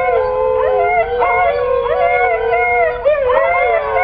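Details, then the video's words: Pet Siberian Husky howling in long, wavering, tonal notes that bend up and down, with short rising swoops breaking in around each second and a half, steady and loud throughout. "Мои сибирские питомцы - My Siberian husky"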